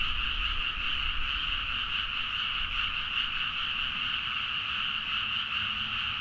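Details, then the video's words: Midnight frog chorus from rice fields near Nagaoka, Niigata, Japan, captured with a Zoom H4n: countless frogs calling together in a steady, shimmering drone of rapid croaks that never pauses, over faint low background hum. "The frog sound at mid night (環境,自然音 -深夜のカエル大合唱-)"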